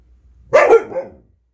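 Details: A red Siberian husky puppy talks back at things around the house, giving one sharp bark that slides into a short, wavering, talking yowl, heard indoors against an otherwise quiet background.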